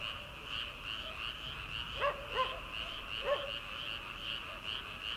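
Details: Frogs calling from rice paddies in early summer, before rice transplanting: a dense, steady high trill chorus runs throughout, and three short, separate croaks break out near the middle.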